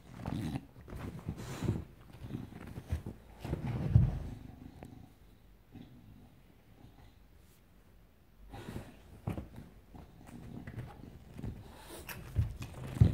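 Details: English Bulldog, indoors, greeting its returning owner excitedly and going crazy around her head; low rumbling grunts and snorts in bursts, a quiet pause mid-way, then more grunting.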